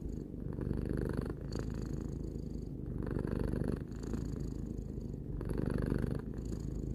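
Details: Tarou, a three-year-old domestic cat, purring continuously in a low rumbling drone, swelling in phrases of about one and a half seconds with brief dips between breaths; no other sounds.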